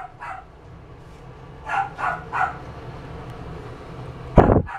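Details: Miniature Schnauzer gives a few short, sharp barks, three spaced about a third of a second apart midway, then a loud thump or clatter near the end over steady background hum.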